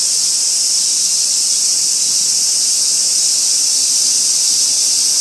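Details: Singing robust cicada from Kitano, Japan, 23 August 2024, in a park tree next to railway tracks; an intense, level, sizzling drone continues without variation, and nothing else stands out.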